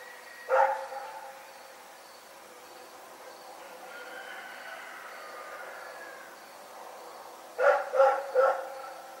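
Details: Night barking from Rex the dog: one loud bark at the start, a faint drawn-out tonal sound in the middle, then a quick run of three barks close together near the end.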